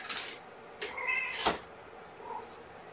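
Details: Domestic kitten, one of five born April 14th to mother cat Gamora, mewing during a morning feeding indoors; short high squeaky mews with harmonic upward sweeps around one second in, a brief rustle and faint background hiss.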